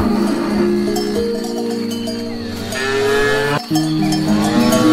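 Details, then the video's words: Herd of cows grazing on grass, heard as a continuous chorus of long, steady moos at varying pitches, briefly broken near the end, with cowbells chiming throughout. "Cows Eating Grass"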